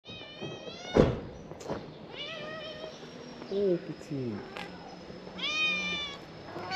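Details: Ginger cat that would not leave a car, meowing to signal hunger: two drawn-out, harmonic meows that rise then fall, one early and one near the end, with background music, knocks and a brief human voice.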